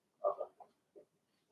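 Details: Cavalier King Charles Spaniel puppies, Blenheim colouring, litter of six whelped March 7–8, indoors in a puppy pen: a cluster of snuffly mid-pitched grunts followed by a single short grunt after a pause.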